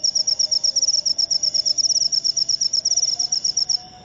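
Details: Short burst of shrill, rapid, high chirp pulses from a jangkrik upo cricket, stopping just before the end, over faint low background noise.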